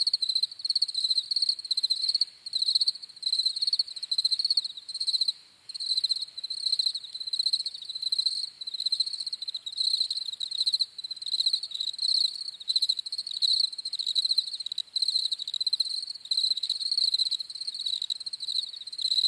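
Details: Crickets trill continuously in a high, pulsing chorus, chirps grouped into rapid bursts with a short lull around five seconds, a steady shrill night-insect sound throughout.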